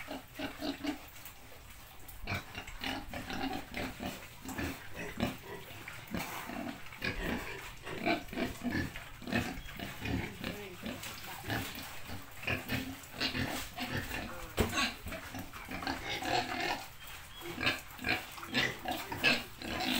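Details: Countryside pig grunting almost continuously, a busy run of short, rough, low snorts and grunts with brief louder bursts, against constant rustling background noise.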